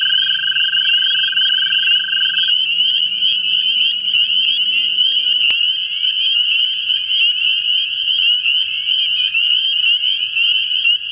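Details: American toads looking for mates in a vernal pool in central Ohio: a dense chorus of high continuous trills, where a lower-pitched trill stops after two seconds while the others carry on, with a faint rising hum early on.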